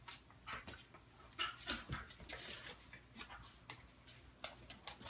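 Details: Two pet dogs, a Morkie and a Schnauzer named Looey and Butterball, wrestling in play-fight while Butterball makes a funny noise: irregular bursts of short, breathy, snorting grunts and whimpers, rapidly repeated, with a name called out.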